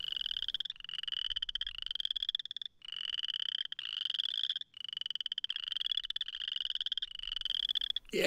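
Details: In early spring in Missouri, male Boreal Chorus Frogs in a temporary flooded pool puff out their throats in mating display, giving raspy, rising trills, like a thumb run along a comb, one after another.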